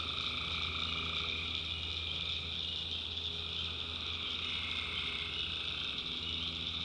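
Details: Tree frogs calling at night in the backwoods of North Carolina, a dense, unbroken chorus of high trilling voices layered in several pitch bands, over a steady low hum.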